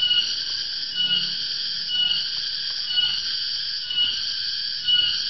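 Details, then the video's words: Cicada, known in Central and East Java as garengpung, whose shrill afternoon wail signals the coming dry season. It gives a loud, continuous, ringing drone with several steady tones that swell slightly about once a second. "SUARA 'TONGGERET' ATAU 'GARENGPUNG', TANDA MUSIM KEMARAU TIBA"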